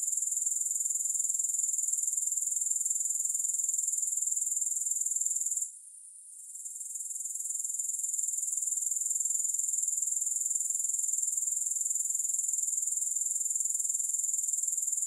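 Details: Long, high, rasping drone of grasshoppers with rhythmic pulsing. A short gap near the middle lets the sound drop before it rebuilds to a constant, even level. No music.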